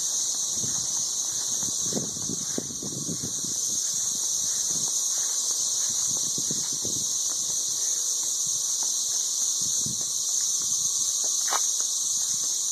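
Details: Ridiculously loud swarm of 13-year periodical cicadas calling from treetops in Nashville, Tennessee: an unwavering piercing high drone filling every second, with faint rustling and handling noise underneath.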